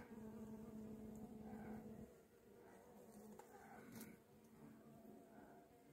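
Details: Caught honey bee swarm with no combs yet and failed queen cells, getting a young queen: loud close buzzing with a strong steady tone for two seconds, then a softer, wavering hum.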